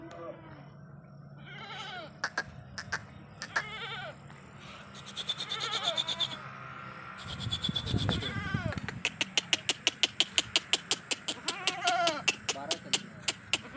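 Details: Sirohi goat kids at a goat farm in Ajmer: overlapping quavering bleats, some long and nasal, over a low rumble, followed by a run of rapid sharp clicks or taps repeated several times a second.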